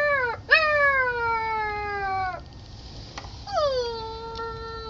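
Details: Baby puppy crying to be let indoors while the sliding glass door is already open; two long, drawn-out whines, each jumping up sharply then sliding slowly downward, separated by a short pause.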